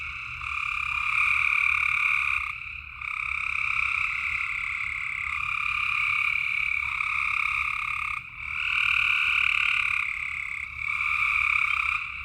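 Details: Frogs calling at night in Tennessee: a dense, unbroken chorus of shrill, pulsing trills layered at two pitches, swelling and easing every few seconds with brief dips near the third and eighth seconds, over a low steady rumble.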